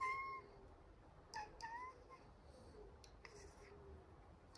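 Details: Domestic cat meowing while enjoying head rubs, telling its human not to stop; a drawn-out meow opens, followed by several short, chirpy rising mews over a steady low hiss of the room.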